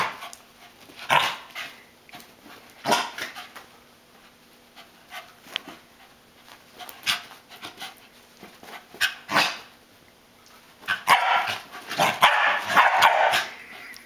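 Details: A corgi chasing a flashlight beam and doing donuts gives sharp, scattered barks with panting between them, ending in a noisy burst of activity.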